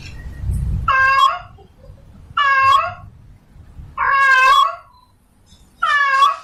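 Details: Female domestic cat in heat calling for a male: four drawn-out, harmonic-rich meows, each under a second, rising then falling, spaced by roughly one-and-a-half-second silences, with faint low rumbling at the start.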